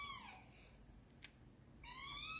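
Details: A domestic cat that has just been woken grumbles with two whiny meows, the first sliding downward and the second rising at the end; the owner suggests it is hungry.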